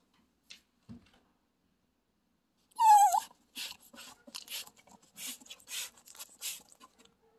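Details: Chiweenie dog waiting, giving a loud high whine that bends downward, followed by a run of short soft whimpers and snuffly breaths.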